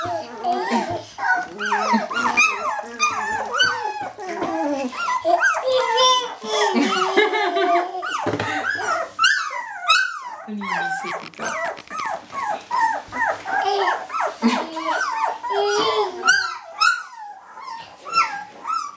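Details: Jämthund puppies at kennel Fenrisulfr, 2012, filling a small room with overlapping high whines, yelps and squeaky whimpers from several pups, with human speech mixed in.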